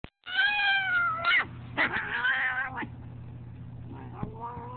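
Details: Angry, fat domestic cat giving drawn-out, wavering meows with strong harmonics, two long yowls then a shorter one, followed by a quieter rising cry near the end over a low steady hum.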